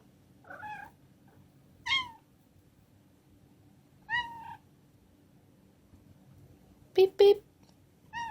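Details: Cat meowing five times in short, harmonic-rich calls spaced a second or two apart, some slightly bent in pitch, with two sharp clicks near the end in an otherwise quiet room.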